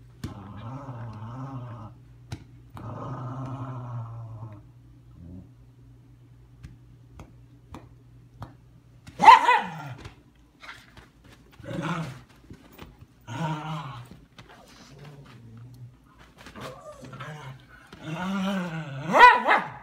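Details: Leia, a 10-week-old female German Shepherd puppy, playing indoors: a few sharp barks and short growly, harmonic vocalisations spaced through a quiet room, with gaps and small knocks between.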